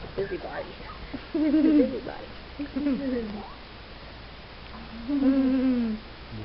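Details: Four-week-old Wheaten Terrier puppies during rough play give short, wavering whiny calls that slide downward in pitch, coming in bursts, then a longer drawn-out whine near the end, with a person talking nearby.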